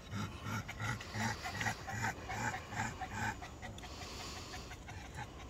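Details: On a muggy late-night walk, a black pug and a Boston Terrier pant softly in rapid, even breaths, fading toward the end against a steady low hum.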